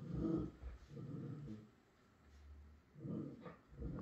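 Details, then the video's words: A Miniature Schnauzer urges a Pit Bull to play with a rough, low growl. Two strong bursts bracket a quieter rumbling middle stretch. "Miniature Schnauzer trying to get Pit Bull to play."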